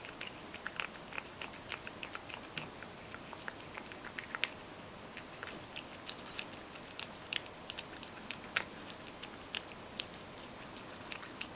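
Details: A Ragdoll cat, Mojio, eats dry food that was ground in a mill mixer and wetted with hot water. Crisp crunching clicks fall irregularly, clustered in short runs, over a low, steady hiss.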